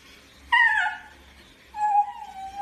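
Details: Basenji dog giving two short vocal sounds: a sharp falling whine with rich harmonics, then after a pause a steady mid-pitched tone that slowly drops, in a quiet room.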